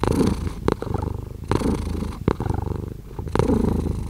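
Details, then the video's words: Close, continuous cat purr: a deep pulsing drone with a slow in-out swell, interrupted by a few sharp rustling bursts. "5 Hours of Cat Purring"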